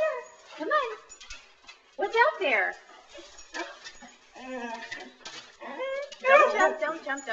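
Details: Saluki 'talking' indoors because it wants to go outside; repeated bursts of wavering, yodel-like whines and moans with stacked harmonics, each lasting under a second, several clusters across the clip.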